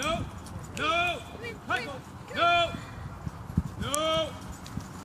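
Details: Basset hounds at a dog park: four loud, drawn-out, harmonic barks with a rising-then-falling bay-like contour, spaced about a second apart across five seconds, over outdoor background noise.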